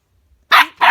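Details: Husky and chihuahua dogs at play inside a room: two loud, harsh, rasping barks in quick succession, coming right after a woman's commands to lie down.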